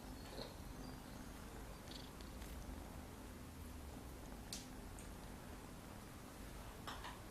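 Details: Maine Coon kittens, nine weeks old, purring indoors: a steady, soft, low rumbling purr runs through the whole stretch, with a few faint clicks and light handling noises on top.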